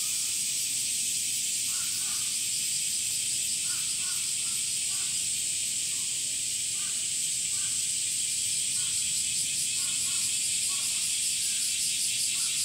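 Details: Summer cicadas (semi), whose males sing by flexing their tymbals, fill the air with a dense, high-pitched, sizzling drone that pulses slightly but never stops, with faint, brief lower calls, perhaps from birds, beneath.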